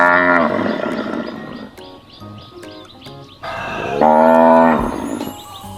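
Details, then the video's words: A grass-eating cow kept in a pen gives two deep, drawn-out moos, the first brief and falling in pitch, the second longer and fuller, with soft music underneath. "เราไปฟังเสียงวัวกันเลยนะคะเด็กๆ"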